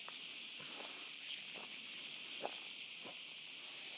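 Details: In an olive grove after dark, cicadas keep up a continuous hissing high buzz while footsteps tread at an irregular pace during a dog walk.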